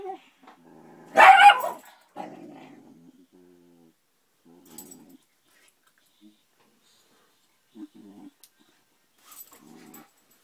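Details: A pair of cranky Irish Terriers in a camping trailer on Cape Cod in summer: one sharp loud snap-like outburst near the start, followed by low rumbling growls that recur in short spells with quiet gaps between.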